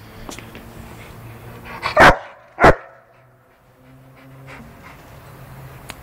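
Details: An angry, infuriated pet Rottweiler gives two loud, harsh barks about half a second apart, each a short broadband burst, followed by quiet with faint low background hum and soft breathing.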